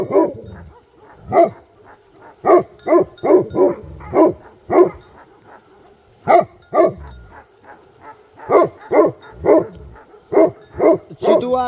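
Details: Bhote Kukur, a Nepali dog breed, in Nepal barking repeatedly for about twelve seconds, deep resonant barks roughly every half second in uneven clusters with brief pauses.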